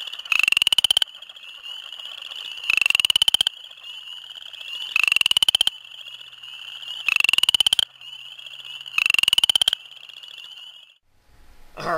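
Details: Western chorus frog giving rising, rattling trills about a second long, repeated every two seconds or so, in spring at a breeding pond shared with spring peepers; among the first frogs calling in the season, often in large choruses.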